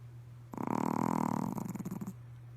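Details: Pomeranian snoring during a midday nap; one long rasping, pulsed breath lasting about one and a half seconds, rough and fluttering, over a steady low hum.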